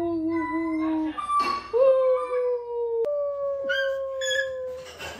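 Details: Basset hound at home on a weekend, howling in long level notes broken by short breaths and brief noisy bursts, each wail held for about a second or more and gently falling in pitch.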